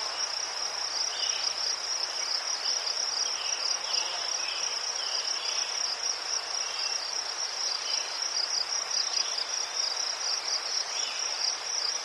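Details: Crickets in Ukraine, among chrysanthemums, give a steady high-pitched pulsing trill that holds on one band throughout, with faint softer chirps from other insects beneath and a light hiss of outdoor background.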